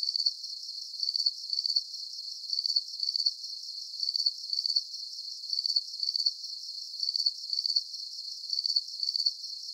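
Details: A soothing cricket soundscape for deep sleep. Trilled high-pitched chirps recur evenly, roughly two per second, over a faint steady shimmer of background insect noise. The low range is completely silent.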